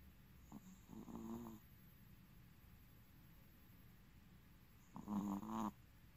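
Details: Kuu, a male black-and-tan-and-white long-coat Chihuahua born 8 April 2017, snoring while asleep: two nasal, rattling snores about four seconds apart, each lasting roughly a second and rising in loudness, over a steady low background hiss.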